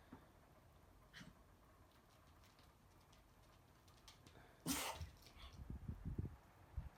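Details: Toy poodle with a pollen allergy sneezing: one sharp, loud burst midway through, followed by a string of low, short snorts and snuffles over otherwise quiet room noise.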